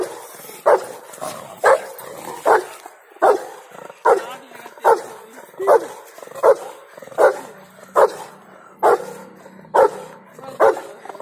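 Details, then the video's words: Rottweiler named Bolt, angry and playing at once, giving loud, sharp barks repeated roughly every second in a steady series, with faint background noise between them. "Vlog of Rottweiler : Angry and Play at the same time"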